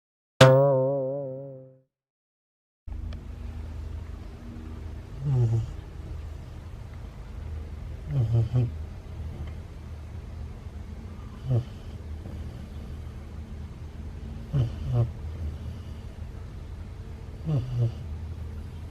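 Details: Ace, a sleeping Siberian Husky puppy, snoring unusually loudly indoors: after a brief sliding tone at the start, a low steady rumble runs throughout, broken by rasping snore bursts roughly every three seconds.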